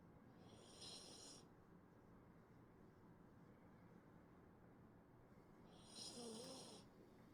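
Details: Poodle snoring, said to sound like a person snoring: two breathy, hissing snores about five seconds apart, near the first and sixth seconds, over a low, steady background hum.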